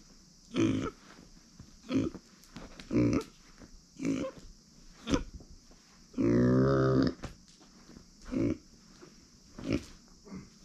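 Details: Pet female micro pig, born September 2020, giving a steady series of short low grunts roughly once a second, broken by one longer, drawn-out moaning grunt midway, with a faint high hiss behind.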